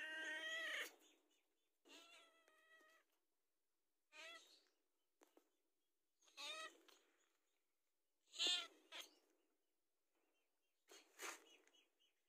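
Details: House cat asking for food, with a run of quiet, uneven meows, some short and wavering, others longer, spread across the recording with gaps and light clicks between.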